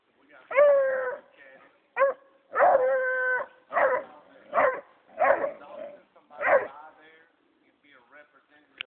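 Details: Young bloodhound, a six-month-old puppy, trailing deer in Mississippi on his first find: a run of about seven loud baying yowls, some long and sustained, others short and clipped, at irregular intervals, followed by quieter yips at the end.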